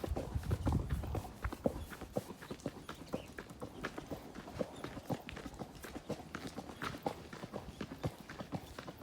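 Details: Ridden horse moving through nature, sharp hoof clops landing about twice per second, with a heavier low thump near the start and a steady soft rustle underneath.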